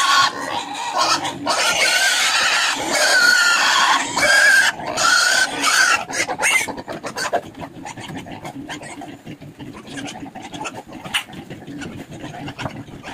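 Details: Native pigs on a small backyard pig farm being fed a mixed feed with banana: sharp squeals and chomping in the first seconds, then steady rapid grunting and slurping feeding noise that grows quieter, with a brief human voice early on.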